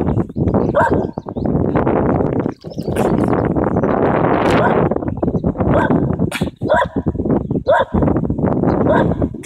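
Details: An upset dog barks repeatedly in loud, harsh bursts. A person keeps calling to it over the barking.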